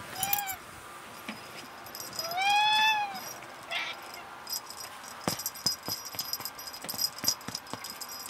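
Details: Tuxedo cat Becca meowing during play indoors: a short arched meow at the start, then a longer, clear, rising-then-falling meow rich in overtones, followed by scattered clicks, taps and rattling from the play.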